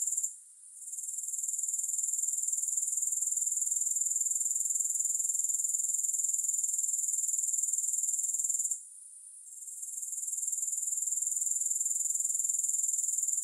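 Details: Sustained thin, buzzy grasshopper stridulation pulsing regularly around four times a second, fading out briefly twice before returning at full strength; no other sounds.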